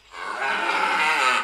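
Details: Fighting bull in a Spanish bullring, provoked to anger as the fight begins: one loud, harsh, rasping bellow lasting over a second, steady in pitch and slightly swelling toward its end.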